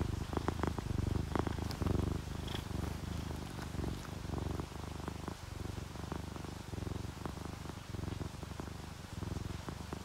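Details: Purring from relaxed, contented domestic cats, an orange tabby and a calico: a low continuous rumble pulsing steadily, slightly louder during the first two seconds, with occasional light clicks.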